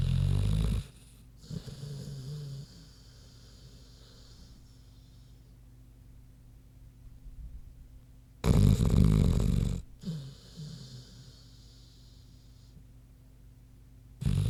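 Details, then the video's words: Queenie, a big pig, sleeping indoors and snoring: two loud, deep, rasping snore bursts about eight seconds apart, with softer rumbling breaths and quiet pauses between them. "Big Pig Snoozin' (HD Queenie Snoring Audio)"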